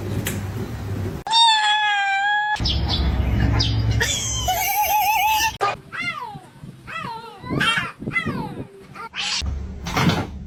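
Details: Cat meowing in a funny-cat compilation, several clipped scenes: a steady tonal cry, then a run of rising-falling harmonic meows repeated roughly every second, with voices and background noise between cuts.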